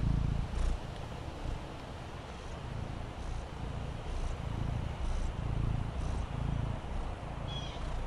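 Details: Relaxed on the patio, Fendi the Maine Coon kitten keeps up a low, buzzing purr in slow waves of breath, while soft ticking sounds and a faint high chirp occur near the end.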